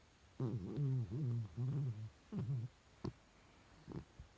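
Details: Goliath, a Chihuahua, dreaming in his sleep with snore-like noises: a run of low, voiced grunting moans rising and falling in pitch over about two seconds, then a brief pause, a shorter moan, and a few soft clicks in a quiet room.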